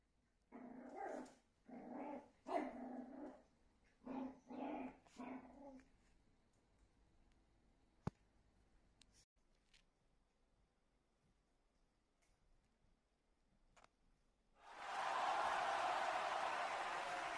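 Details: Meimei, a pet Shih Tzu, facing a mirror and taking her reflection for another dog: five low growling bursts in quick succession, then near silence, then a loud rushing noise at the end.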